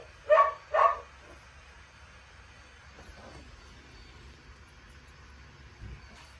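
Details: Dog lets out a pair of sharp, ringing barks half a second apart, followed by near silence with faint shuffling and a low bump.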